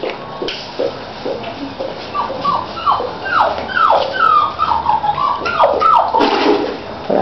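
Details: Labrador and sheepdog cross puppies from one litter crying at the door: a run of high, sliding whines, each dropping in pitch, several overlapping in quick irregular succession and growing louder toward the end.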